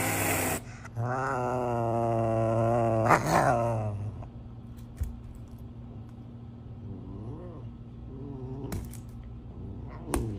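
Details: Serval making a long, wavering, nasal call lasting about three seconds, rich in harmonics, then two faint arched calls later on. Sharp clicks and a constant low hum are heard indoors.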